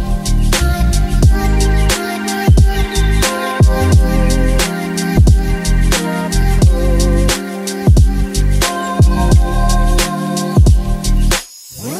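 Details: Loud rhythmic music with a steady drum beat and layered instruments throughout, ending abruptly, with no animal sounds.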